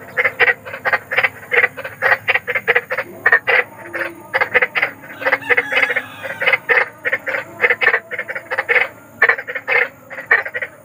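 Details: Croaks of a big frog in the wild, described as eerie and soothing for sleep: a long, nearly continuous rattle of short rasping notes, roughly four per second, overlapping voices thickening the chorus midway.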